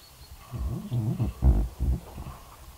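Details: Red deer recorded on 13 October 2019, giving a short series of deep, throaty grunting roars. About four heavy pulses come in quick succession within two seconds, with a low rumbling quality and a quiet background.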